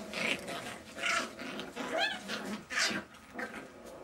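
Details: Jack Russell Terrier puppies at play indoors: short, whiny yelps and grumbling vocal bursts come about once a second, some rising and falling in pitch, over a low rumbling background.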